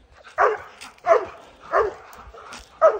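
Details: Four Airedale Terriers treeing a black bear on a mountain trail in early spring, the bear fresh from its winter den; loud, hoarse barks repeated about every 0.7 seconds, five in a row.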